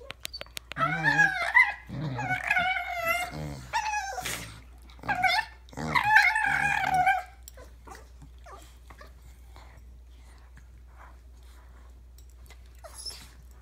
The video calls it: Dogs making weird sounds!!